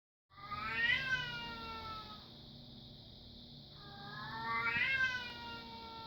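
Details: Female Bengal cat, described as in heat and ready for a mate, giving two long, drawn-out yowls a few seconds apart. Each rises, then wavers and slowly falls. A steady electronic hum runs underneath.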